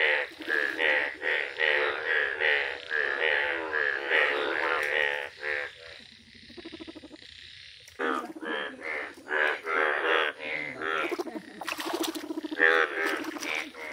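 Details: Yellow Indian bullfrogs calling in a village, a dense run of rasping, harmonic croaks about once a second, pausing briefly midway before the chorus picks up again with more overlapping calls.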